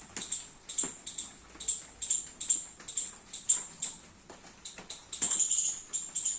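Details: Squirrel in a garden in the rain, eating baby coconuts: sharp, very high-pitched chirps, short and clipped, repeated roughly twice a second in an uneven series, with a faint lower buzz beneath each note.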